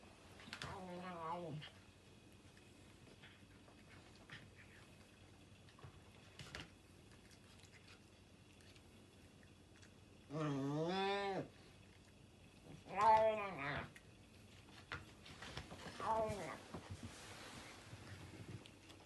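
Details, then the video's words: Loud domestic cat, indoors while eating fast, gives several drawn-out harmonic meows, the first and a later one arching in pitch, with quieter calls between long pauses in a small room. "Loud Cat eats like teenage boy - fast and without chewing."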